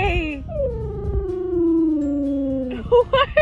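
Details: Ten-year-old dog howling for the first time after surgery at the vet; a long, steadily falling howl lasting over two seconds, followed by short rising yips, with a woman speaking softly around it.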